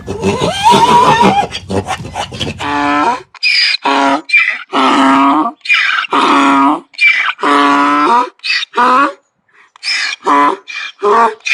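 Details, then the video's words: Donkey braying: a long run of alternating hee-haw phrases, deep harmonic honks switching with higher, harsher wheezing notes, repeated steadily and loudly in a small indoor space. "DONKEY SOUNDS! What sound does a donkey make"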